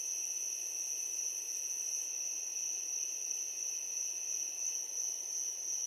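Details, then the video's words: Crickets at night keep up a constant piercing trill, very high and even, with a quieter lower tone beneath and a light hiss behind; no other animals stand out. "Crickets chirping at night"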